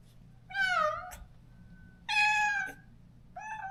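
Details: Neutered stray cat calling daily for the companion it was parted from after surgery, in a rural yard: two loud, sustained harmonic meows, the first dipping then rising, the second flatter, and a short third cry starting at the end.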